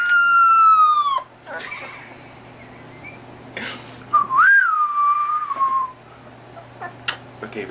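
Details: A dog's tiny, small howl: a steady tone sliding gently downward for about a second, then after a pause a second wavering howl that lifts briefly and trails down over nearly two seconds, with faint clicks between.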